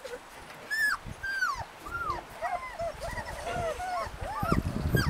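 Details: Husky puppies in Lapland giving short arched whines, some pups squealing in quick succession, over low rumbling and rustling.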